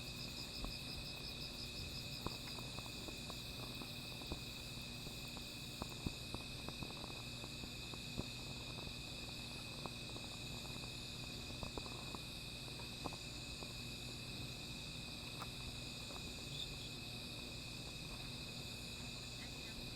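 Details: At night near a small fire, many insects keep up an unbroken shrill drone of steady high tones and a rapid pulsing trill, while irregular crackles and snaps from the burning fire scatter across it.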